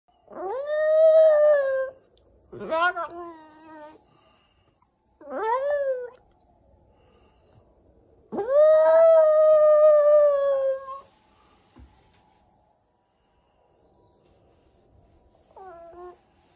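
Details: Shiba Inu dog howling indoors: four long harmonic howls rising sharply then held steady, with a short fainter howl near the end; quiet pauses between.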